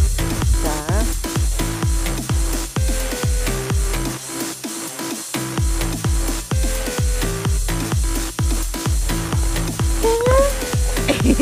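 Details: Electronic dance music with a pounding regular beat and synth tones plays throughout, without any animal sound.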